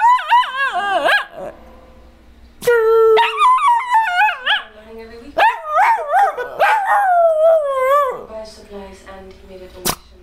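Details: Puppy producing a run of loud yelping barks and warbling, wavering howls that slide up and down in pitch, clustered in bursts with brief pauses and one sharp click near the end; no other animals heard.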